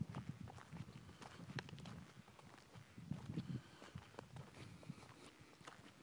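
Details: Horses in Hereford, their hooves knocking in an uneven run of dull, low clip-clop steps, with sharper taps scattered among them and a steady rural background hum underneath.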